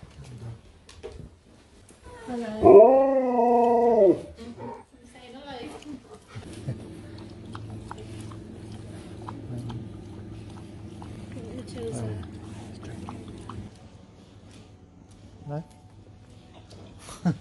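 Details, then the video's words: Sherpa, a dog in the UK, 'speaks' to people: one loud, drawn-out harmonic howl rising then wavering and sliding down over about two seconds, followed by a steady low hum and quiet café chatter. "Dog speaks to people and they speak back"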